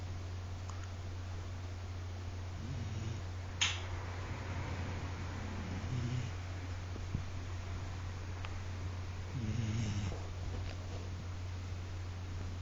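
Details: Akita dog Koume snoring loudly in deep sleep indoors, with soft rasping breaths at about three, six and ten seconds, roughly every three to four seconds, over a steady low hum and a few faint clicks.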